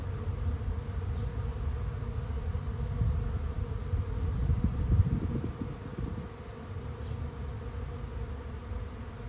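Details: Swarming honey bees moving into a trap: a continuous low humming drone that swells louder in the middle as bees crowd closer, then eases back to a softer steady buzz.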